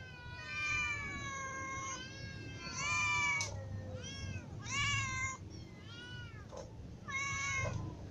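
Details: Ginger cat with little cats and adult cats, all meowing because they are hungry; a run of loud, harmonic meows, several overlapping and rising then falling, repeated about every second, over a low background hum.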